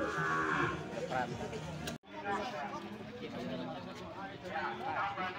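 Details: Young cattle at a livestock market in Sokaraja: a low, droning moo with stacked harmonics, cut by a brief break, then further lowing against nearby talking and crowd noise.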